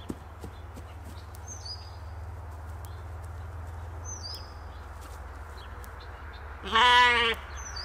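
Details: A Katahdin sheep on a Michigan homestead gives one loud, wavering bleat after quiet evening birdsong while the sheep play.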